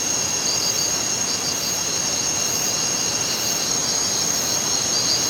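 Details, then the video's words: Crickets at night, a dense steady chorus of high, shrill trilling with a faint pulsing layer beneath, over a constant rushing broadband hiss. "Night Crickets sound effect"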